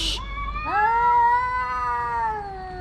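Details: One of two homeless male cats contesting a female house cat lets out a single long, steady yowl that swells then slowly sinks, after a brief hiss-like burst at the start.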